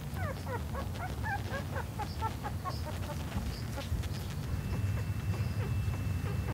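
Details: Six black Miniature Dachshund puppies suckling milk from their mother give rapid, thin squeaks and whimpers over a low, rumbling background.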